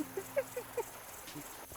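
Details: A spotted hyena on the savannah cackles in a quick series of short, uneven, mid-pitched yelping notes about a fifth of a second apart. Such calls signal rank, urgency or hunger, or summon others to come quickly.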